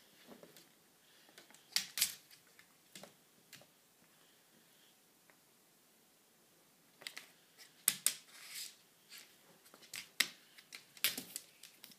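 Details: Quiet indoor room with scattered sharp clicks and rustles, and no animal voice.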